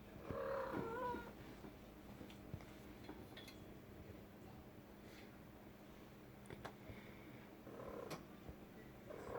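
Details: A female house cat calling inside a room: a short, wavering meow at the start, then a long stretch of quiet room noise with faint knocks, and more brief meows near the end.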